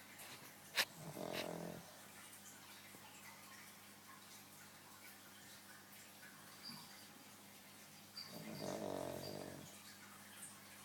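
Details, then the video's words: Dog snoring while asleep: two soft, breathy, rasping snores about seven seconds apart, each lasting roughly a second, with a brief sharp click near the start in a quiet room. "Dog snoring"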